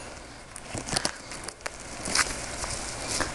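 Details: Scattered clicks, crackles and soft footstep-like thuds over low background noise, with no clear animal voice.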